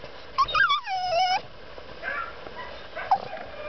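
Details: Sophie, a female dog, whining in a truck because she wants to get out: a high, drawn-out whine that slides downward over about a second, followed by quieter faint whimpers.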